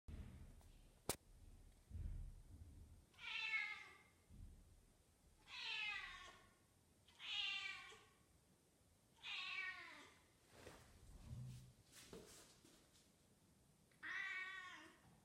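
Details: A 10-month-old female British Shorthair kitten in heat gives drawn-out, wavering meows, calling for a male cat.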